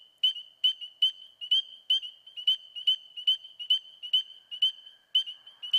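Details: A spring peeper (Pseudacris crucifer) in the eastern US begins its spring advertisement call, loud piercing single peeps about every half second, while American toads trill in the background.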